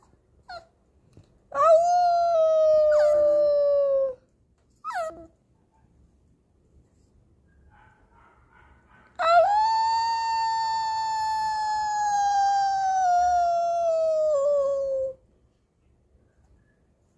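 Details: A 4-month-old female Pomeranian (German Spitz) puppy, being taught to howl by her mother, gives long, clear howls that start high and slowly sag in pitch.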